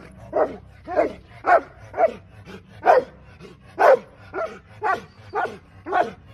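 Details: Rottweiler barking during a training session: ten loud, deep barks spaced about half a second to a second apart, slightly uneven in rhythm, with a faint low hum underneath.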